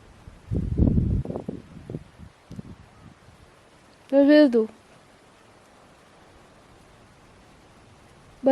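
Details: Budi, a West Highland White Terrier, answers his owner during a chat: soft Danish speech first, then one short, loud, moaning yowl with rich harmonics, and a second yowl starting at the very end.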